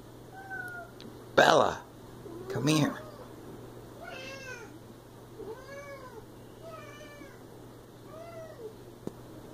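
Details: Siamese cat named Bella giving a run of soft, arching meows indoors, about five bent harmonic calls after two loud thumps or knocks early on, with a low steady hum beneath.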